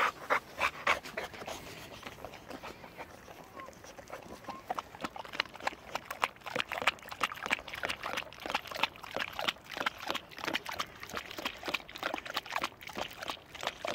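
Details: Boxer dog Fritzi, taught from puppyhood to drink from a bottle, drinking still water from a bottle; rapid, uneven, breathy bursts, about three to four each second, run steadily throughout.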